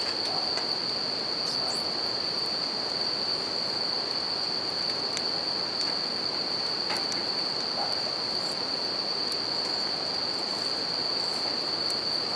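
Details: Continuous high-pitched ringing of bell crickets beside a campfire and river, unbroken for the whole stretch, over the constant broadband hiss of flowing water and scattered snaps of fire.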